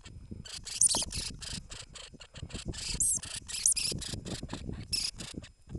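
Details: Norway lemming, described as inviting to a dance, gives a run of harsh, hissing squeaky bursts in quick irregular series, some rapid and chattering, over low rustling and thumping handling or movement noise.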